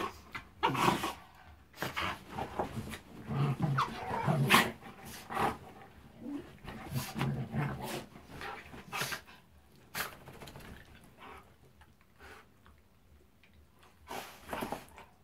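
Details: Six-month-old Shiba Inu playing indoors with a four-year-old Siberian Husky: bursts of rough, low growling and grumbling, with short yelps and scuffling, rising and falling irregularly, then quieter toward the end.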